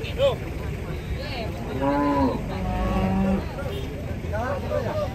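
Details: Cattle being unloaded from a truck, with a long low moo near the middle over steady engine rumble and background chatter, plus shorter higher calls at the start and end.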